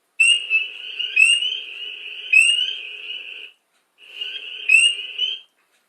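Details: Long Island spring peeper chorus: one nearby peeper gives sharp rising high peeps about once a second, while hundreds of others form a steady high-pitched buzz behind it, pausing briefly before resuming.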